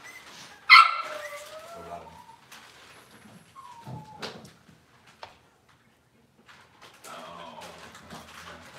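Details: Cavalier King Charles Spaniel puppy indoors in a kitchen on a cloudy Monday morning: one sharp high yelp, then a drawn-out whine sliding downward, a second short falling whine a few seconds later, and quiet household rustling between.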